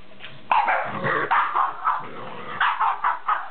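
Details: French Bulldog barking in a rapid series of short, sharp, mid-pitched barks, about eight in three seconds, with slightly varying loudness.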